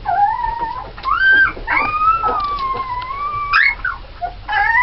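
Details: Red Alaskan Malamute puppies from a litter of nine (seven females, two males) born 1 November 2010 whine in long, high, wavering tones that rise and fall.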